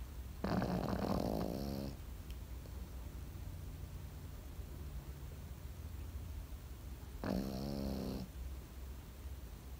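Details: Pekingese dozing and snoring: a loud, rasping inhalation at the start, then quiet, then a second shorter, buzzy snore about seven seconds later.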